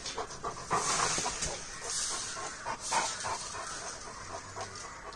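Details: Great Dane, a seven-month-old male with merle colouring, panting quickly in soft breathy bursts, roughly three to four per second, against a low steady background hiss.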